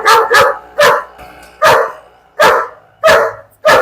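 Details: German Shepherd from Perumbavoor, trained and attached only to the family's father, barking in a sharp, loud series of about seven harsh barks, some in quick pairs, spaced unevenly with short silent gaps.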